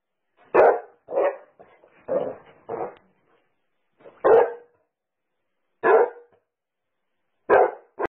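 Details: Basset Hound, a pet dog, barking indoors in a small room: deep, full barks in irregular bursts, a quick run of four followed by single barks spaced more widely, with short quiet gaps between them.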